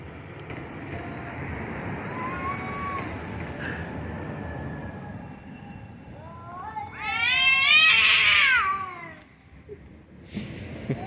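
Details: Two cats making funny noises: soft low wavering tones early, then one loud rising and falling wail with rich harmonics peaking near the eighth second, fading into quiet background.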